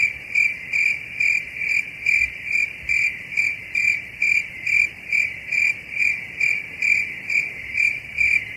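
A cricket chirps steadily, a bright high trill broken into pulses about twice a second.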